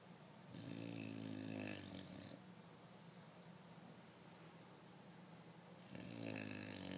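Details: Loud snoring from an English Bulldog: rough, droning inhaled snores with a low buzzing tone, two strong bursts about five seconds apart separated by quieter breathing.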